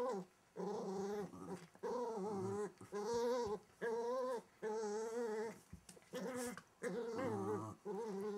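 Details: Welsh Terrier puppy under a wardrobe giving repeated wavering growls, each lasting about half a second to a second, with brief gaps between; a person speaks briefly at the end.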